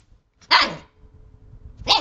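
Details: Two Siberian husky puppies, a brother and sister, play with a hand; two short high yappy barks, the first strong and the second clipped at the end, with quiet rustling between.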